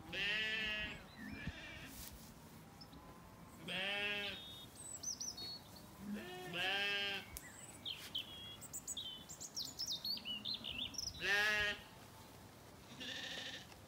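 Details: Zwartbles lambs after weaning, relaxing in an orchard on a County Kilkenny farm in Ireland, evening; repeated tremulous bleats from several lambs, some overlapping, with chirping birds in the background.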